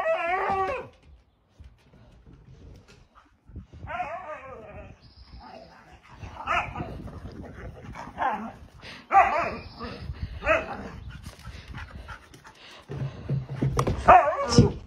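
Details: Tantrum-throwing husky kept out of the house, wavering howls and yelps mixed with barking, scuffling and a person's voice, the dog sounds coming in bursts through the clip.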